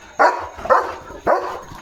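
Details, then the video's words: German Shepherd on night duty, barking at a passing vehicle in the dark; three sharp barks spaced about half a second apart over low background noise. "German Shepherd Barking & Protecting at Night"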